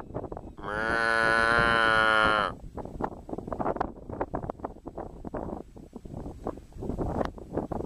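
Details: Cow mooing: one long, steady, harmonic-rich moo of about two seconds near the start, then continuous crackling, rustling noise with no further calls.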